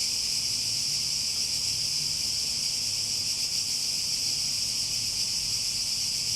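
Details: Even, piercing cicada buzz with a light shimmering pulse in its upper part, constant throughout, over a faint low rumble.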